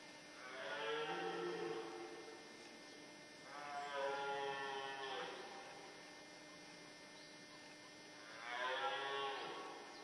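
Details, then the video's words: A red deer stag in the forêt de Chaux, Jura, near Dole, gives three deep, rasping bellows during the rut, each lasting one to two seconds, with males fighting and hinds present. "Brame du cerf en forêt de Chaux"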